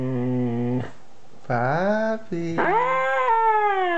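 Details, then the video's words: Two-year-old Siberian Husky producing short, yowling vocal phrases: a low steady note, then sharply rising whines that level off into a sustained, nasal tone. "Siberian Husky talking"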